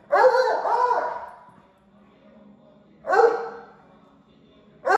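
A Bluetick Coonhound gives loud, drawn-out baying calls with a short pause between them.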